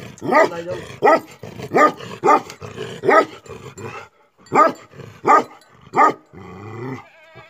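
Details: Angry Tibetan Mastiff, known locally as Bhote Kukur, barking in deep, hoarse single barks, about eight loud barks spaced under a second apart with brief pauses, softer grumbling between them.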